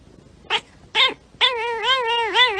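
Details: Domestic cat giving two short cries followed by a long wavering meow with rich harmonics, rising and falling in pitch.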